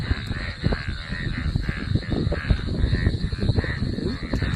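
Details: Golden frogs chattering together after rain, a dense chorus of low, rapid croaking pulses overlapping continuously, about two per second, with a steady higher hum throughout.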